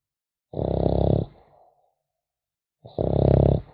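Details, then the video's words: Asleep, a French Bulldog puppy produces two buzzing, rattly snores a little over two seconds apart, followed by soft wheezy breath, in a quiet indoor setting. "Храп щенка французского бульдога"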